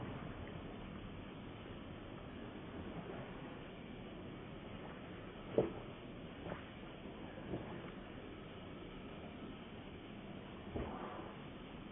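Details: Faint low room noise with a few soft knocks and clicks, no clear animal voice.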